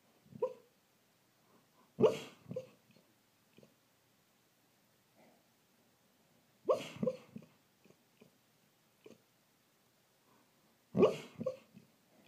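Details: Sleep woofing from Truly, a rescue greyhound dreaming indoors: three muffled woof bursts spaced about four to five seconds apart, each trailed by quick puffing huffs and small breaths.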